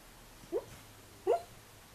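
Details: NuNu, a pet dog, barking in his sleep while trying to run, indoors; two short, muffled, rising yips about three-quarters of a second apart over a quiet room background.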